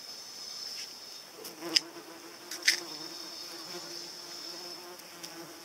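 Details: Paper wasp droning in flight: a soft harmonic hum starts after a second and holds steady to the end. Two loud clicks sound partway through, with a persistent high whine behind.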